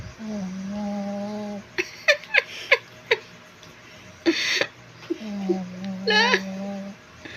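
Two long, steady, reedy snores from a Shih Tzu come about five seconds apart, each a humming, whistle-edged drone. Between them are soft clicks, a brief rustling burst and what may be quiet human giggling.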